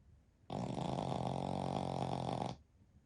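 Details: Single heavy snore, two seconds long, harsh and buzzy with a deep rumbling core, from a flat-faced Pekingese x Shih Tzu mix dog in deep midday sleep beside its family.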